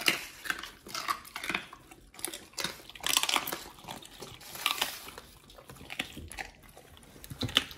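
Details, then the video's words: Two Pit Bulls eating raw healthy treats: wet, crunchy chewing and smacking bites, irregular clicks and slurps through the whole stretch, with faint clatter like dishes. "Pit Bulls eat RAW healthy treats"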